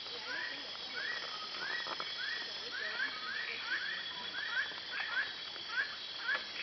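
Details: File-eared tree frog (Polypedates otilophus) at Kubah National Park gives short upward-sweeping call notes, repeated about every half second over steady insect hiss.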